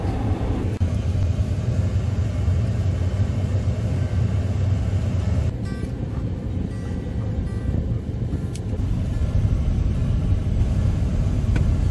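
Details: Heavy rumbling car-wash and engine noise fills the recording, with no animal sound audible.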